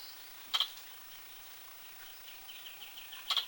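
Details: A pair of squirrel hiccups, short piercing high notes nearly three seconds apart, with a faint run of bird twitters between them.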